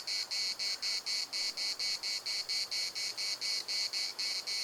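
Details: Cicadas singing in Larnaca's municipal park, a shrill rasping buzz broken into steady pulses about twice per second, continuous throughout against a quiet low background.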